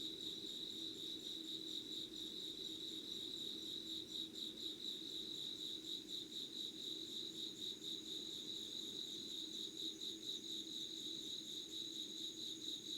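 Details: Dawn insect voices in Yugawara, Kanagawa, Japan, 25 August 2019 at 5 a.m.: steady high pulsing chirps fill the air. A piercing thin tone grows stronger in the second half, with a quiet low hum below.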